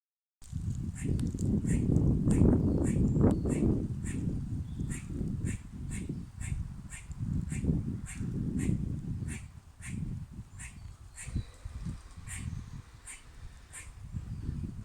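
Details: Squirrel making funny sounds: a steady series of short, nasal, quack-like calls, roughly two and a half per second, with rumbling low-pitched wind or handling noise underneath throughout.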